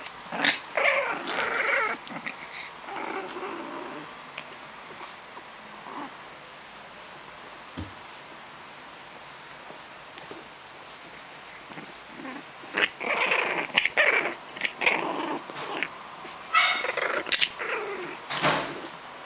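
A French Bulldog puppy makes bursts of high, whiny yips and snuffling grumbles indoors.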